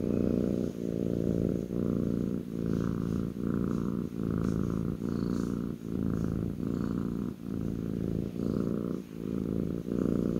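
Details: Loud, close purring from a kitten settled on a lap, deep vibrating rumble in even breath-length pulses just under a second apart, very regular and continuous throughout.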